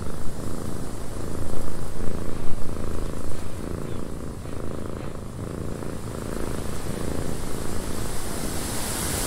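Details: Low, even purr of a house cat in a windy cabin, partly buried under swelling gusts of wind that rise and fall across the recording.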